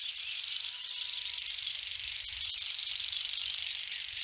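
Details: Grasshopper giving a high, rapidly pulsed buzz. After a brief break near the start it resumes and grows gradually louder, continuing unbroken to the end with fine rhythmic pulsing.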